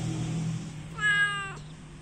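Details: Orange house cat uttering one short, bright, level meow lasting about half a second, with a low background hum throughout.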